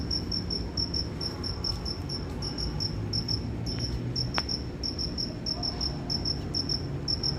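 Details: A cricket chirps in quick, sharp high pulses, broken into irregular bursts by short gaps, against a rumbling low background and a single faint click midway.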